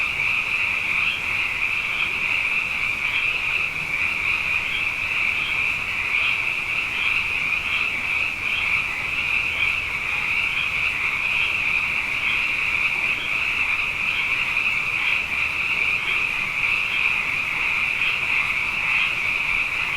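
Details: Abundant frogs calling at night after two wet years in a row: a dense, continuous chorus of high, pulsing trills stacked into a steady bright band, with rhythmic throbs roughly every half second and no other clear sounds.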